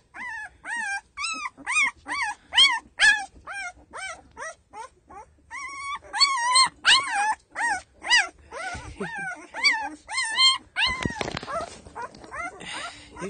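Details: Ten-day-old Doberman puppies whose eyes are starting to open, producing a rapid series of high, rising-then-falling squeaky whines and yelps, over two per second, with some rustling and handling noise toward the end.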